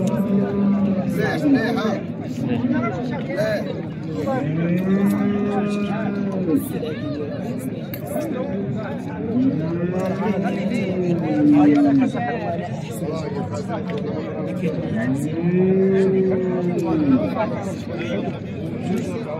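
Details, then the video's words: Calves for fattening, small and large, at the Souk Sebt Settat livestock market: several drawn-out moos rising and falling in arcs, spaced several seconds apart, over constant crowd chatter and men's voices. "العجل الكسابي صغير وكبير اليوم من سوق سبت سطات"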